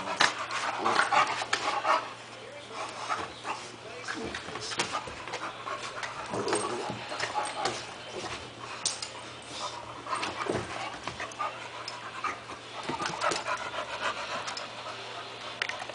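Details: Panting and scuffling from two razor edge pit bulls, the one-year-old Hanna and the seven-week-old blue pup Jah, in irregular breathy bursts, with a person talking nearby.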